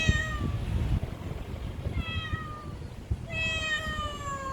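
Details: Street cat from a local neighbourhood, filmed in 2019 on a Samsung Galaxy S9+, calling three times with long falling meows about a second apart against low background noise and faint tapping.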